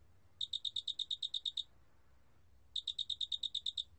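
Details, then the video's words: Cricket of the Korean species 큰알락귀뚜라미 giving two trains of roughly twelve sharp, high-pitched pulses in quick regular succession, each train about a second long, separated by an empty pause of about one second. "큰알락귀뚜라미, 여러번 듣기, 곤충소리"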